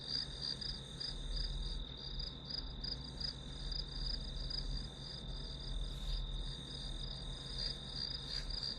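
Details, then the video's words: Grass insects providing ambient white noise: an almost continuous high-pitched ringing trill with faint pulsing, a brief sharp click near the middle, and a steady low rumble beneath. "풀벌레 소리"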